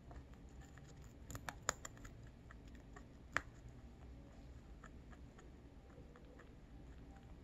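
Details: A lionhead-Dutch mixed-breed rabbit eating close up makes soft crisp crunches and clicks scattered over a quiet room hush.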